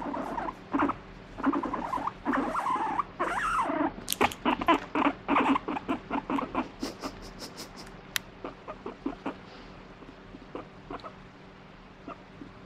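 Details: Guinea pig, fighting off a stroking hand it had just demanded: several rough pulsed grumbles and a rising whine early on, followed by a run of sharp clicking taps that slow and fade into quiet.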